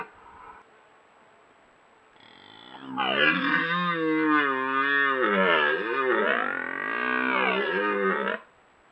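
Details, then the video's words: A red deer stag in rut, Italian Apennines near Bologna, recorded on a Browning trail camera, lets out a prolonged bellowing roar of over five seconds whose pitch bends and wavers, preceded by faint low calls. "Cervo in amore dà in escandescenze"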